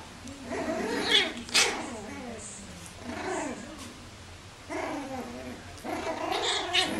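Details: Bichon Frisé puppies from the R litter at a small kennel, indoors; soft high whiny growls and yips rising and falling in short bursts about every second, with faint rustling between them.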